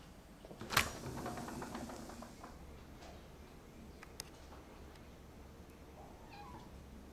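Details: Domestic cat barking like a puppy: one short, sharp, harsh bark early on, then near silence in a quiet room with a few faint clicks and soft rustles.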